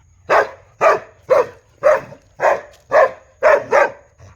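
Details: Big dog barking loudly: eight sharp, deep barks in steady succession about every half second, the last two close together, then a faint trailing sound.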